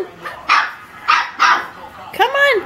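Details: Seven-week-old Saint Bernard puppy barking at himself while going down a step alone for the first time: three short, sharp barks about half a second apart, then a rising-falling yelp with clear harmonics.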